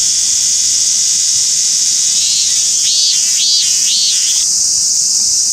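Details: A robust cicada (Hyalessa maculaticollis) sings a loud, steady buzz with a run of arched, pulsing 'meen-meen' notes, recorded in Japan on 28 July 2021.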